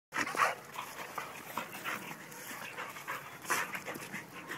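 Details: Adoptable Labrador Retriever mix dog in Bedford, NY, heard in rhythmic breathy panting bursts, uneven, with a couple of louder huffs near the start and again after three seconds, over a steady background hiss.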